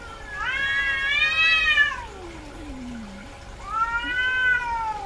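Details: Domestic cat, a female in heat, gives a long arched meow, then a low sliding moan, then a second rising meow.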